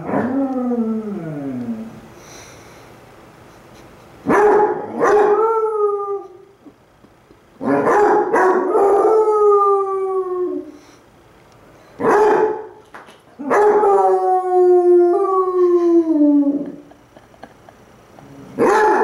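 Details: Two pet Basset Hounds, Cooper and Jahko, howl back and forth at each other, Cooper lying lazily on his side; long sliding howls in bursts every few seconds, some falling in pitch, with quiet gaps between.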